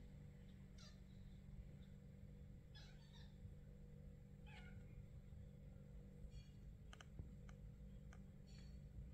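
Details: Kitten, British Shorthair munchkin, 28 days old, female, coming out of her nest and running after her owner while meowing; faint high thin mews repeated every second or two over a steady low hum, with soft rustles.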